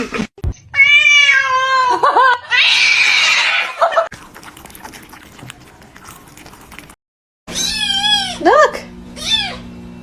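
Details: Domestic cats fighting: drawn-out wavering yowls with rich overtones, followed by a harsh breathy hiss, a quieter scuffling stretch, a brief silence, then a run of sharp rising-and-falling screeches.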